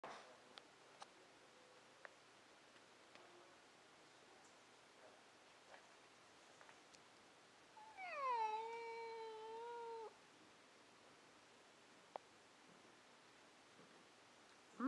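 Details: Domestic cat meowing to its owner during a back-and-forth exchange indoors: after long quiet, a single drawn-out tonal meow lasting about two seconds, steady then slightly falling, with faint clicks in the background.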